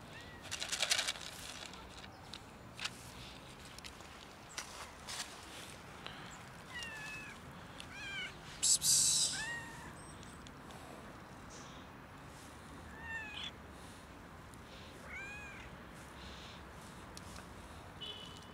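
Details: Cat struggling outdoors in winter cold, freezing and seeking warmth rather than food; a series of about seven short, rising-then-falling meows spaced irregularly over the recording, with crunching steps and scattered clicks and rustles outside.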